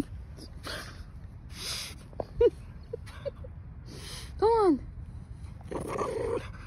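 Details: Female French Bulldog Margo, excited after finding a trophy ball on a walk, gives two short, arching, tonal whines with a rise and fall, between soft rustling bursts and scuffing noise.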